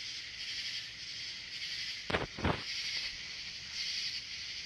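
A katydid's steady, high, hissing buzz runs without pause, broken by two brief dull knocks.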